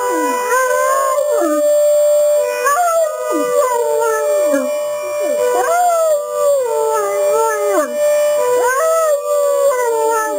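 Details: Pair of Great Danes, a big one and a smaller one, singing to a broadmoor alarm: repeated long howls that swoop upward then glide down, about every two to three seconds, over a constant siren tone.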